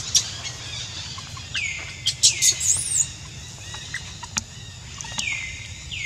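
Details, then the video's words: Jazzy, a monkey bitten all over by ants, crying in pain: a series of high, thin descending whistled wails that slide downward, plus a few shrill squeaks, with soft rustling and steady outdoor background hiss. "Jazzy Monkey Crying Hur-t Full Body By Ants"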